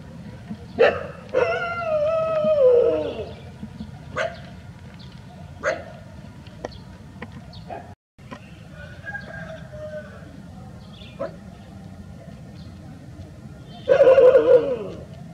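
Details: Labrador Retriever on a village street, approached by a group of Labradors trying to make friends. A long, high whining howl slides down in pitch, then scattered clicks and softer whimpers. A second loud, wavering whine rises near the end.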